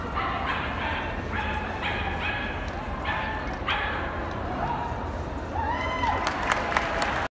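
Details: A dog at an agility competition lets out a rapid run of sharp, ringing barks in short bursts over steady crowd noise. It then goes quiet while a person speaks and a brief whistled tone sounds.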